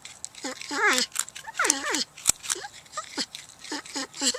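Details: Porcupine making quick squeaky whimpers and dipping moans, several in fast succession, mixed with rustling and scratchy handling noise and a sharp click near the middle.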